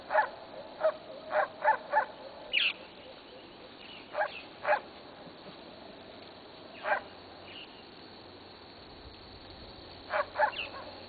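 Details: Three-week-old Maremma sheepdog puppies meeting goat kids for the first time, kids of the herd they are raised to guard; short sharp high yelps come in a quick burst of five early on, then scattered singles and pairs over steady background hiss.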